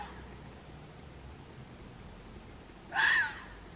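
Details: A red fox in Waterloo, Belgium gives a single harsh, hoarse cry that breaks the quiet near the end.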